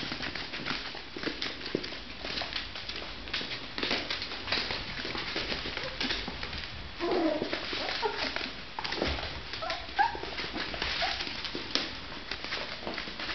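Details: Miniature Pinscher. Young Miniature Pinscher puppies make short, thin whimpers and squeaky yelps, bunched in a few quick bursts. Constant scrabbling, clicking and rustling noises run underneath throughout.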